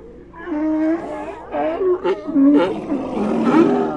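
A seal gives a series of hoarse, harmonic barks that rise and fall in short bursts.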